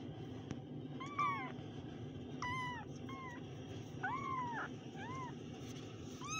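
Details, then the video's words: Kittens meowing: several short, high, arched mewing calls spaced through the recording, some overlapping, over a steady low background hum. "kittens Meow"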